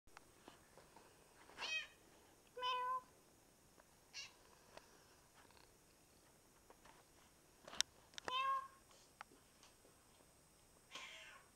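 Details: Russian Blue cat in a pet-sitter's care gives three clear harmonic meows about a second and six seconds apart. Each is drawn out and slightly wavering, with soft clicks and small handling sounds between them.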